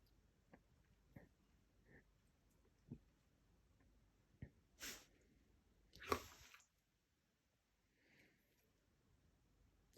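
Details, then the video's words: A Siberian Husky sneezes in a small room, soft sniffs and snuffles building to two forceful hissing sneezes, followed by quiet breathing. "Хаски чихает"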